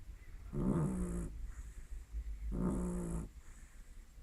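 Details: Dog Lily snoring, two rasping, nasal breaths about two seconds apart, each buzzing with a slight tonal hum, quiet room noise between.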